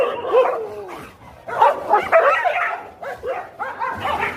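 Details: Dogs fighting, giving dense overlapping yelps and snarling barks in rapid irregular bursts, pitched, harmonic and rising and falling, with a brief lull near one second before a renewed flurry.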